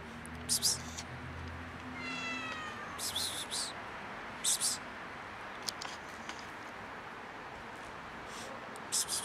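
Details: Domestic cat with a broken leg, still affectionate, gives one drawn-out meow that slides gently downward with clear harmonics, lasting about a second, amid sharp scattered clicks and brief broadband rustling bursts.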